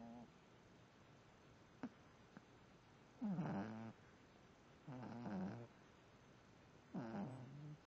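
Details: A sleeping female puppy snoring, heard as squeaky, wavering, whine-like breaths. Three longer pulses come about every two seconds after a few faint clicks, against quiet background hiss.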